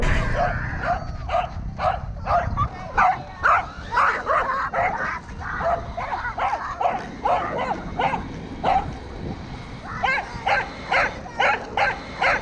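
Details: Roku, a pet Welsh Corgi, barks while chasing a Kuroneko Yamato RC car, filmed 13 February 2021: sharp repeated barks roughly twice a second in uneven bursts, with a pause near the tenth second and motor hum underneath.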